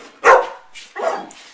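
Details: House dog prompted to speak indoors lets out one loud, sharp bark, then a second rougher, softer bark about three-quarters of a second later.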